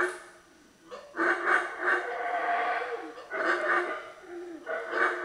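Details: Howler monkeys near San Andrés, Guatemala, howling in throaty, roaring bursts that swell and fade over one to two seconds, with a brief lull before the chorus resumes. Faint background hiss.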